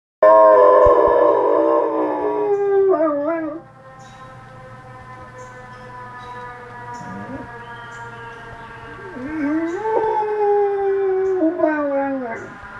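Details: Oscar, a Goldendoodle, howling at a fire truck in Sudbury, Massachusetts: a loud siren-like wail opens, then long wavering howls that dip and rise, swelling again near the end with quavering tones.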